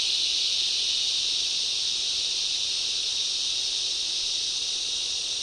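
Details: Waves of loud cicadas in a summer rainforest: a dense, steady, hissing buzz held high and unbroken, with no pauses or other clear sounds.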